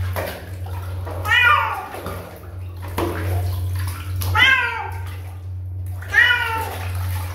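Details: Kitten giving three clear meows about two seconds apart, each a bright harmonic cry that rises then falls, over a steady low hum with faint splashing water.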